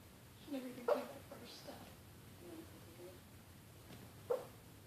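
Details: Boston Terrier named Maddie Mae, asleep and dreaming indoors, gives soft muffled whimpers near one second and again near four seconds, with faint low murmuring noises between them in a quiet room.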